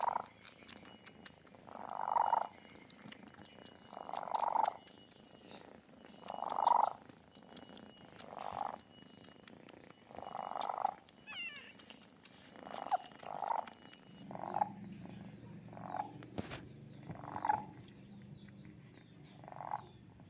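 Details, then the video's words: Donat, the cat nicknamed the purring machine for having the loudest purr, keeps up a long run of rasping purr pulses, about ten bursts spaced two seconds apart, with light background noise. "Raja ngorok/the purring machine (cat's purring)"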